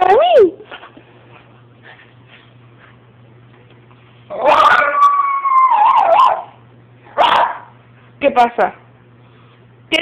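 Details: Miniature Schnauzer; whining bark; seeking attention from its owner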